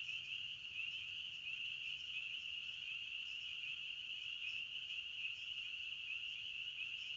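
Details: Forest crickets keep up a continuous shrill chorus, one level ringing tone with faint shimmering pulses and no pauses, no birds or other noises.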